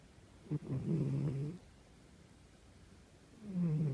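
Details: Old domestic cat snoring while asleep indoors: a low, rasping, buzzy snore of about a second, a quiet pause, then a second snore starting near the end.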